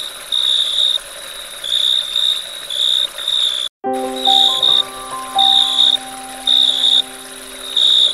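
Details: Crickets chirp at dusk in high, buzzy bursts, each trill about half a second, repeated steadily, with frogs croaking, flowing water and background music.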